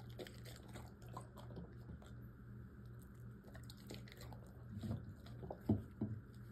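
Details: Yogi, a Golden Retriever / Irish Setter mix, eating indoors: wet, squishy bites and crunches at an uneven pace, a few louder snaps near the end, over a steady low electrical hum.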